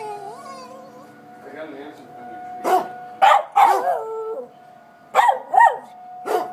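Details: Agitated pet dog barking at tornado sirens during a siren test in Coon Rapids; a whining wavering cry first, then several sharp barks in uneven bursts over the steady wail of the siren.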